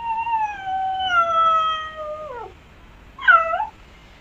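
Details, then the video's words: Cat giving one long drawn-out meow of about two and a half seconds, held steady then sliding lower at the end, followed after a pause by a short, higher, bent meow; quiet background. "Real Cat Sounds"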